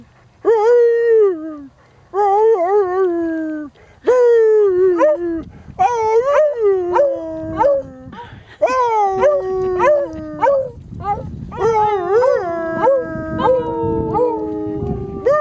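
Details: A Beagle sings along with its owner at Winter Haven Dog Park, giving about eight separate mournful howls, each starting high and drooping downward with wavering notes, separated by short pauses; faint human singing and music underneath.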